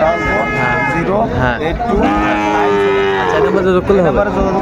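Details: Sahiwal cattle at Ambari cattle market, Bangladesh, on 13 January 2025, bull calves on sale; drawn-out lowing moos with wavering harmonics, amid steady crowd chatter and bargaining voices.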